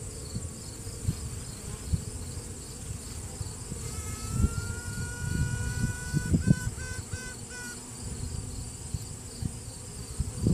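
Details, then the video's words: Honey bee virgin queen piping from within a hive to assert dominance, workers pausing around her: one long rising trumpet-like tone, then a run of short pulsed toots, over dense low buzzing of the colony, recorded one-handed on a cell phone. "Queen Bee strange noises"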